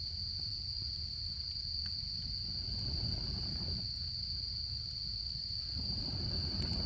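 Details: Autumn insects keep up a constant high, ringing trill beside a campfire in Japan; the fire's low rumble and crackle swell and fade beneath the unchanging insect tone.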